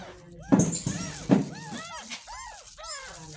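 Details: Ten-day-old kitten rescued from a roadside gutter, getting its first bath, gives a run of thin, arching mews repeated several times a second, over background music, splashing thumps and a girl's voice.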